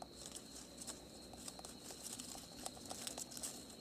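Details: Wild cane rat in Africa gnawing at night while feeding on crops such as sugarcane, pumpkin, sweet potato and pineapple: rapid, irregular dry crunching clicks, with a steady high cricket drone running beneath throughout.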